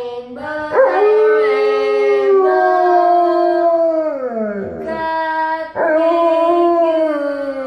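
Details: A domestic Alaskan Malamute sings along with its family, giving long wavering howls that climb and hold steady, slide down near the middle, then restart in a fresh rising howl. No other sounds stand out.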